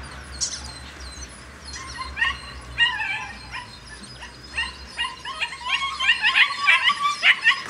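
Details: A litter of White Swiss Shepherd puppies, eleven of them nearly nine weeks old, let out of a kennel in the morning; a chorus of thin whining yips and squeaky barks builds and thickens toward the end, with a person calling nearby.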